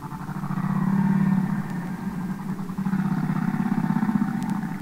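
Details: Humpback whales singing underwater, from the Capitol Records ST-620 recording: a low droning moan with a faint upper harmonic, swelling and pulsing for several seconds, then fading and returning, over constant hiss.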